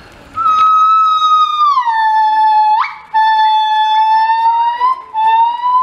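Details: A gibbon at ZSL London Zoo, recorded on 24 March 2014, sings long, clear hooting notes that slide downward, leap abruptly upward, then settle again.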